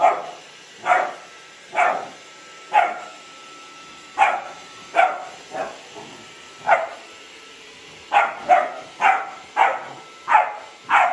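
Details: Hovawart named Delilah barks at a running Dyson vacuum cleaner, loud sharp barks roughly every half second to second, some in quick pairs, with a quieter whine-like yip midway and a steady appliance hum beneath.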